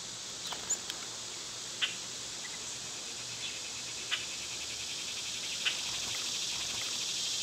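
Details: Cicadas in summer keep up a constant high-pitched whirring drone, while several short snapping ticks and faint chirps pop out irregularly across the recording.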